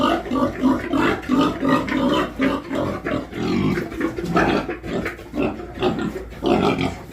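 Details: Pigs on a farm giving repeated low grunts and oinks in irregular bursts, several animals overlapping, with a steady low hum beneath.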